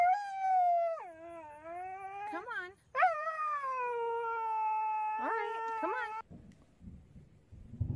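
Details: Husky making dramatic protest vocalisations while a collar is put on: long drawn-out, wavering howl-like moans with rich harmonics, sliding down then holding steady, broken by short yelps, ending in rustling and a person's voice.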